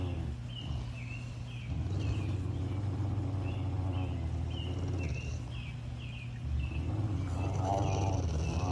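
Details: Low, steady growling from a Rottweiler locked in a standoff over a bone, the rumble rising slightly in strength partway through, with a string of quick high chirps sounding behind it.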